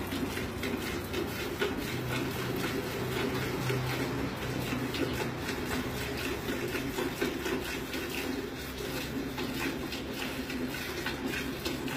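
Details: Steady rhythmic milking strokes with liquid streaming into a container, a low hum underneath, and no animal calls.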